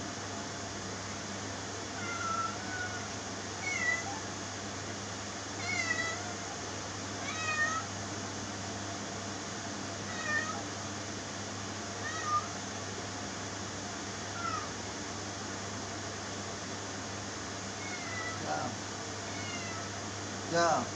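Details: Cat meowing repeatedly, short rising-and-falling harmonic meows about every two seconds, some louder and drawn out near the end, over a constant low hum of background noise.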